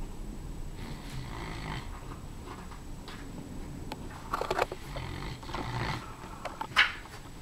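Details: Sleeping Komondor named Saxon snoring indoors, a series of rasping, throaty breaths at uneven intervals, some soft and muffled, others sharper with a snorting edge near the end.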